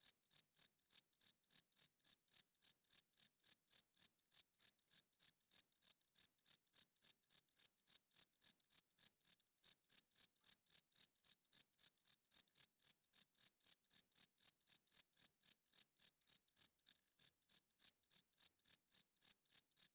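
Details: Male crickets chirping at night, calling to attract females and establish territory: bright, high-pitched pulses repeated rapidly, nearly four per second, in a steady train with two brief breaks. No other sounds in a clean, silent background.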